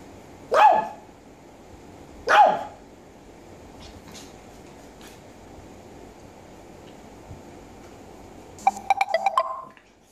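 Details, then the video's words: Japanese Chin, also called Japanese Spaniel, barking: two sharp single barks about two seconds apart, a quiet pause, then a quick burst of higher, rapid yips near the end over a faint steady hum. "Japanese Chin (Japanese Spaniel) barking"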